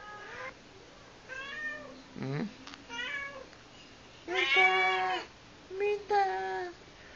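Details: A domestic cat gives a run of insistent meows, one long and loud, calling its owner to the kitchen, as it usually does when the owner is there.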